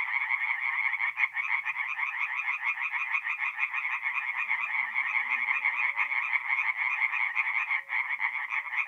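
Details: A chorus of tree frogs at a forest pond on an April night in north-east Italy, quick raspy pulses stacked from many callers, with brief dips, and a faint low rising hum in the background midway.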